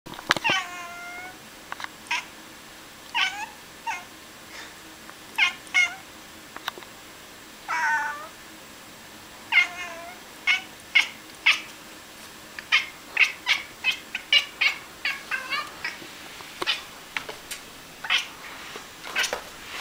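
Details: A chatty pet Bengal cat gives a long series of short, chirpy meows and trills, some rising and falling.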